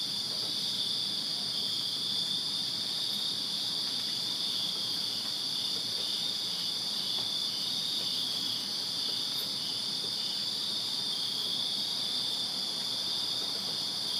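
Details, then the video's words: Backyard crickets in Virginia on a summer night produce a steady, ringing high-pitched chorus, continuous and uniform, the overlapping trills of many insects blending into one shimmering drone. "Crickets Chirping Summer Night in Virginia"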